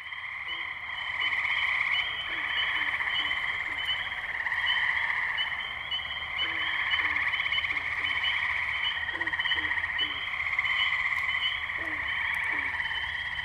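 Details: Tree frogs calling in a spring wetland at Firestone Park, Columbiana, Ohio, on May 6, 2023, captured with a Zoom H2n: a dense, steady, pulsing trilled chorus with layered overlapping voices, plus short low notes recurring every second or so.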